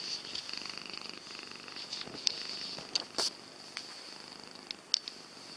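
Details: Jessie the cat purring, a continuous fine-grained rhythmic rumble with a faint high whine behind it and a few sharp clicks and brief rustles scattered across the recording.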